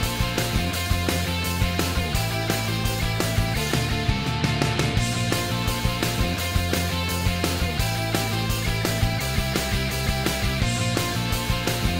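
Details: Loud rock music with driving electric guitar and a steady, punchy drum beat throughout; no animal sounds are heard.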